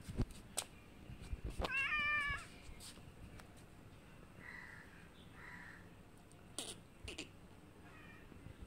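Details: Kittens moving around a big cat that visits the house for food. One sharp, rising-then-falling meow stands out near the start, followed by two faint, softer mews, with clicks and household thumps in a quiet room.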